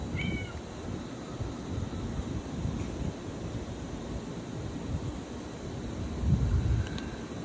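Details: Angry domestic cat eating food from a bag, giving a brief high meow with a slight downward bend at the start and a fainter one near the end, over steady low rumbling and crunching noise.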